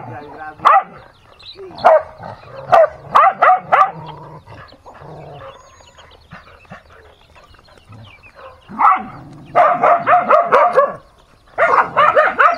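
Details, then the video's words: Dog fighting, with scattered sharp barks early on, a quieter stretch where human voices come through, then a loud run of rapid barking and yelping near the end. "Dog Fighting"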